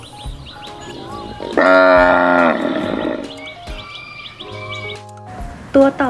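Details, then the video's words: A cow, introduced in a children's lesson on farm animals as a grass-eater, gives one loud, rich moo lasting over a second that sags lower at the end, over light music and a woman's voice. "เราไปฟังเสียงวัวกันเลยนะคะเด็กๆ"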